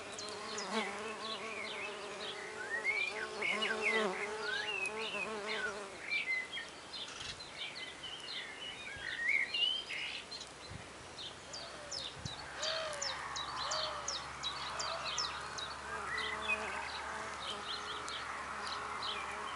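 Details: Solitary red orchard mason bees, six females, busy around a newly placed oak nest block in a garden. A strong, harmonic buzz fills the first six seconds, then fades, leaving chattering songbirds and occasional soft clicks.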